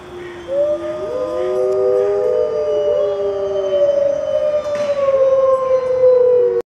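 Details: Several zoo wolves in white winter coats howl in turns, long smooth tones that overlap and slide gently up and down.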